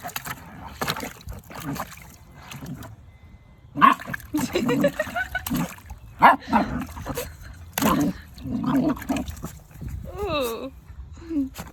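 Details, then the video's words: Deaf two-month-old female German Shepherd puppy confronting a bucket of water, making strange sounds: short harmonic grumbles and yelps in bursts, then a wavering high whine near the end, with water splashing and sloshing between calls. "Cute German Shepherd Puppy Fights Water and Makes Strange Sounds"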